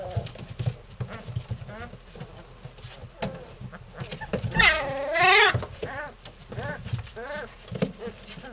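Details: Three-week-old Belgian Malinois puppies from one litter playing together indoors: low rough growls and grunts in quick bursts, with a loud rising-falling whine or yelp near the middle and scattered squeaks.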